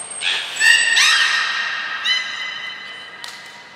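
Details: Captive belugas Gray, Nana and Mirai in training at Port of Nagoya Public Aquarium, Japan, 7 June 2022: a run of clear, rich, harmonic squealing whistles, several overlapping and held steady, fading after about three seconds.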